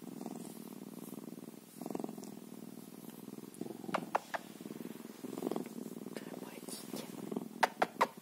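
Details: Bobcat purring in a low pulsed drone with intermittent swells, faint voices in the background and several crisp clicks toward the end.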